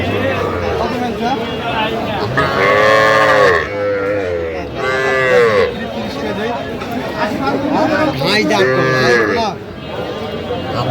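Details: Small bulls and heifer calves, Sahiwal type, at a cattle market in Kushtia, Bangladesh, on 8 October. Three loud arching moos rise and fall, each about a second long and a few seconds apart, amid traders' voices calling prices.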